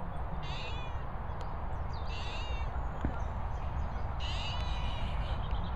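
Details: Cat meowing in company with guinea fowl in Worcestershire countryside; three short, high, nasal meows spaced about two seconds apart over a constant low rumbling background noise.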